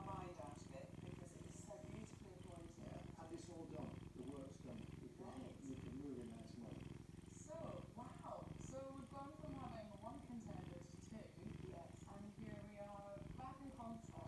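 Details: Contented pet cat on a Saturday morning, giving a continuous deep throbbing purr with no pauses, overlaid by ongoing conversation.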